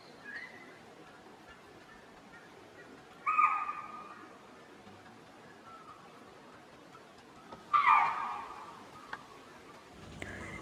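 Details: Spotted deer (chital) alarm calls in Tadoba Andhari Tiger Reserve, warning the group and adjoining ungulates of danger before a tiger appears; a faint bark then strong shrill barks at intervals of about four seconds, ending with a brief rumble.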